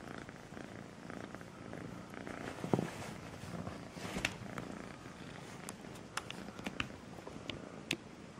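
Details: Sweetly purring kitten named Melissa: a low buzzing rumble underneath, overlaid by several sharp ticks and taps from handling or movement close by.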